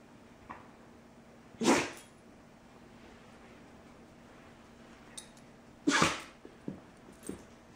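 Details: Indoor dog sneezing while chewing a pencil: two sharp, explosive breathy sneezes about four seconds apart, each followed by a few small taps and clicks.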